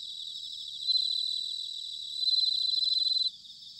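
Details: A bell cricket calling in autumn at Sanuki, Chiba, Japan, giving loud, high, tinkling trills in two surges, the later one sharply pulsed before stopping abruptly, with a quieter ringing chorus behind.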